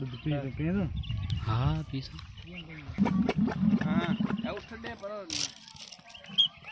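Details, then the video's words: Camels at a Thar Desert market during mating season: low, wavering harmonic moans that rise and fall in overlapping arcs, then a stretch of rough gurgling grumbles and a brief noisy burst, with background chatter and chirping birds. "Camel Sounds | Camel Videos | Camel Voice | Camel mating season"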